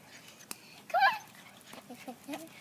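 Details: Labradoodle puppies Tigger and Minnie playing with their littermates; one sharp high yelp near the one-second mark, then a few faint soft whimpers, with a person's coaxing voice and a light knock.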